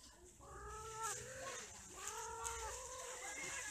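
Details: Cats, shown mating and quarrelling, give drawn-out harmonic yowls that rise and waver in two long bursts, with a broad hiss of background noise throughout.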